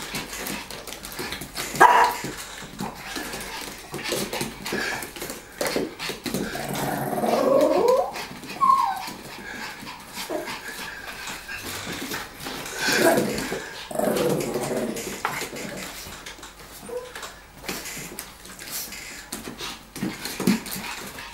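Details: Two dogs, Lilly and the older, bigger Tomy, play over a ball, with Lilly trying to take it from her owner. Intermittent growls and thin whines come through amid constant scuffling and clicking sounds.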